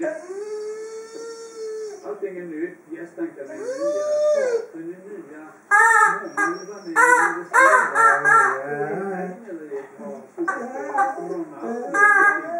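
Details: A Dobermann female playing with her toy indoors, making funny noises: long, steady, tonal howling moans that rise and fall, followed by a series of shorter, choppy whining yelps and grumbles.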